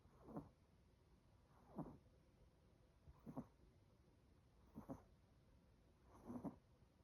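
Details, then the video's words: Sleeping 18-week-old Chihuahua puppy snoring loudly: five soft rasping snores, one about every one and a half seconds, each a short breathy rattle, over a quiet room hiss. "18 week old chihuahua: Chocolate snores loudly."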